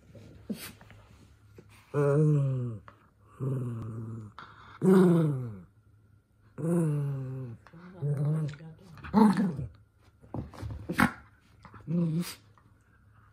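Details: Toy Poodle, a young male, grew boisterous indoors and got snapped at by his younger sister. He gives drawn-out harmonic whining growls that bend up and down, several separate bouts across about thirteen seconds in a small room.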